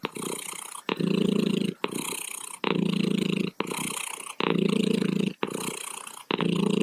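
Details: Close, loud cat purr, a gritty rumbling drone pulsing in regular breath-length surges of under a second each, with brief gaps between strokes and nothing else audible.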